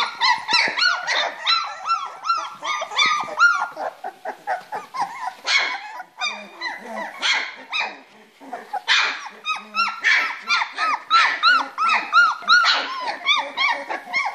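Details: Springer Spaniel pups aged three weeks tumbling and playing in their box, producing rapid runs of thin, high-pitched yips and whimpers, clustered in busy bursts separated by short lulls.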